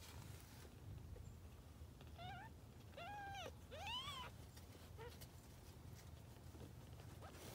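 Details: Grey tabby kittens from a once-homeless mother cat: a run of clear, high, rising-then-falling meows, some drawn out and wavering, over a low humming background.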